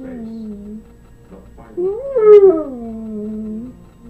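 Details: Harley, a pet dog, sings along to TV jingles and theme songs indoors: a soft, wavering howl that dips low, swells into a higher rising-and-falling note near the middle, then settles back into a long low tone.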